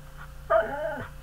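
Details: A pet dog makes a short, quiet, tonal whining sound lasting about half a second, slightly wavering, in a small quiet room.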